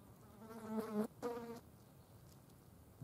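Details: Wing buzz of green bottle flies feeding on a dead mouse: two short, loud droning bursts with a steady, richly layered tone, split by a brief gap, then near silence.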